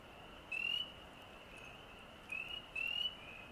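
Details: On the Osgoode Link Pathway, a frog gives three short, high, upward-sliding whistled peeps, one early and two close together near the end, over a soft steady background chorus of more distant frogs.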